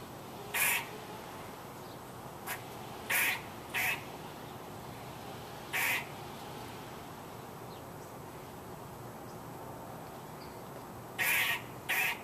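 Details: Irregular squirrel noises: short, hoarse, quacking barks, some paired closely, separated by pauses of up to five seconds, ending with a doubled burst; faint hiss throughout.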